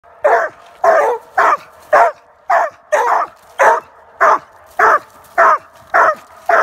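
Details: A Treeing Walker Coonhound, one of a pair, gives loud, regular barks, roughly two every second.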